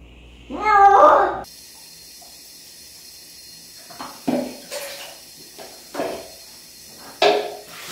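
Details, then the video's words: Pet cat protesting during a bath indoors, one drawn-out harmonic meow lasting about a second, then quiet with scattered splashes and handling noises. "냥빨의 날 | 고양이 목욕"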